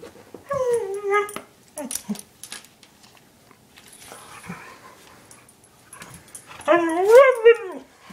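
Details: Two pet dogs, a one-year-old husky called Chinook and an eight-year-old German shepherd mix called Lola: a drawn-out falling whine opens, short yips follow, then a loud rising-and-falling wavering yowl closes, with quiet rustling between.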